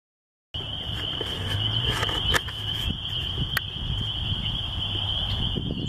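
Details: Spring peepers calling at a country church: a dense chorus fuses into one steady high shrill band, with scattered faint clicks and a low rumble of background noise underneath.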